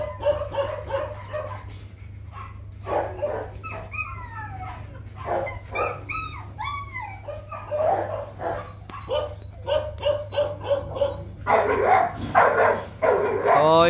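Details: Young male Rottweiler breeding dog named Nano, son of Bruno and Melsee Gervi, barking in a series of short, harmonic bursts with some higher sweeping whine-like notes, over music and a steady low hum.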